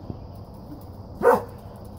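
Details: English Springer Spaniel barking outdoors at a doe acting strangely, later charged by her; a single sharp bark stands out over low background noise.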